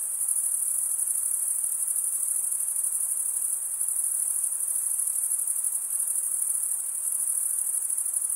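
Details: Summer forest at night filled with chirping crickets, a steady piercing high trill sustained throughout, slight pulsing in loudness, nothing else audible but quiet hiss.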